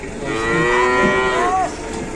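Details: Cow at an Indonesian market, too weak to stand, with market-goers looking on in concern: a loud, drawn-out harmonic moo lasting over a second, held steady then dipping and cutting off at the end, with faint background noise.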